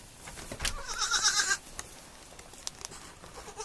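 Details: Baby goat on a farm giving a single wavering bleat of about half a second, among clicks and bumping sounds.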